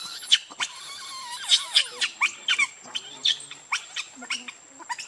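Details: Baby monkey Rainbow crying to its mother for milk: a rapid run of shrill, squeaky, whistled cries, some sliding down in pitch, with short gaps between bursts and a steady faint high hum behind.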